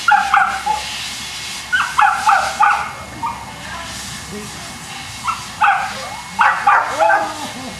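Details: Boston Terrier dogs at the Perrera Jamundi kennel in Cali, Colombia, barking in short sharp bursts, several quick clusters of two to four barks separated by brief pauses, over a low background murmur.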